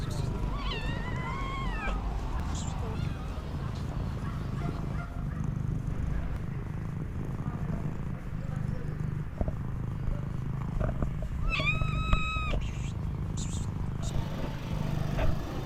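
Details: Street cat greeting a person with a hug after three months apart: steady low rumbling purr runs throughout, with a rising-falling meow near the start and another short meow around twelve seconds, plus faint handling noises.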